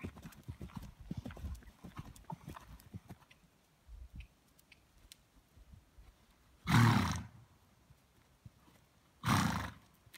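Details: Mare born in 2007, out of Hermelin by Bon Coeur: soft hoof clatter and shuffling in the first seconds, then two loud, harsh, broadband blowing bursts about two and a half seconds apart, each lasting roughly half a second.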